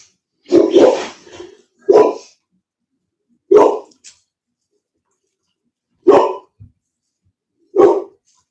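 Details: Cane Corso (Italian Mastiff) from a breeder's pack west of Nashville, Tennessee, giving deep barks: a doubled opening burst, then single barks spaced a couple of seconds apart, five bouts in all, with silence between.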